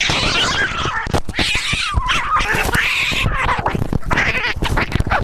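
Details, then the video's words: Pet cat screaming in harsh, rasping, strained yowls that run almost without pause. The sound is noisy and wavers up and down. "Cat Screaming Compilation"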